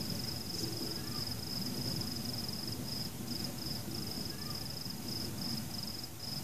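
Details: Crickets sing at night amid fireworks, without people, pets, music or cars; a shrill, continuous pulsing trill with brief gaps sits above a dense low rumble of distant booms.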